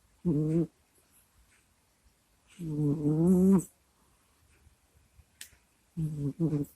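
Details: Sleeping pet cat recorded up close with a microphone, snuffling and groaning in its sleep: short moaning groans about every three seconds, one longer wavering groan, and a soft sniff between them.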